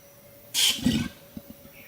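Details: Wild male Bornean orangutan giving a territorial kiss squeak because a photographer is too close: a sharp, harsh, smacking squeak of about a quarter second, then a lower, throaty grumble and a few soft taps over a steady background hum.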